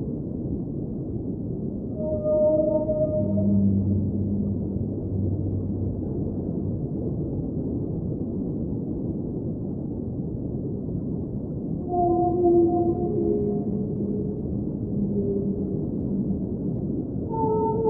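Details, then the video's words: Underwater whale song over constant deep water hiss: a held high moan with overtones early, a low droning groan after it, a quieter stretch, then fresh wailing notes that dip and rise in pitch. "Underwater Whale Sounds - Ambient Soundscape | Whale Singing"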